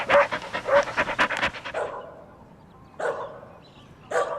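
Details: Puppies competing for toys on green grass, playful: a burst of rapid panting and short broadband yaps in the first second and a half, then quieter isolated barks near three and four seconds.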